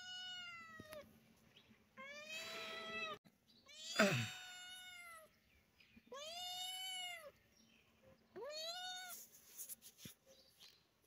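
A kitten gives a run of high, drawn-out meows, each rising then falling in a thin wail.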